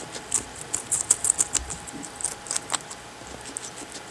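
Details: Pet guinea pig eating carrots from the hand: sharp crunchy bites in quick clusters, louder in the first two seconds, then sparser crunches over a faint constant hum.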